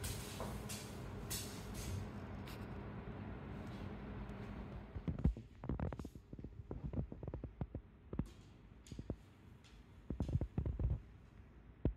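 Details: Indoor thumps, shuffling and sliding knocks over a low hum, with no animal voice.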